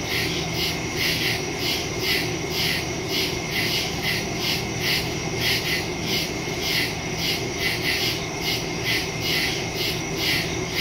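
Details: Crickets chirping at night in the woods, recorded on September 2 with a phone and stereo microphone; a dense chorus of rhythmic pulsed chirps, several per second, layered over a steady high insect hum and low background rumble.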